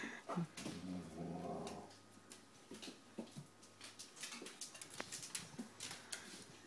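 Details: Rhodesian Ridgebacks playing with dog bubbles indoors; a low rumbling growl runs through the first two seconds, followed by scattered clicks, snaps and soft thumps as the dogs chase bubbles, with a person speaking faintly.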